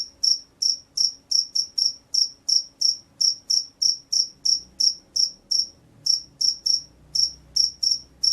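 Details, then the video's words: Rice-paddy field cricket in vigorous song: a long run of shrill chirps near three per second, briefly pausing around the sixth second before resuming, with faint low background rumble. "SUARA JANGKRIK SAWAH"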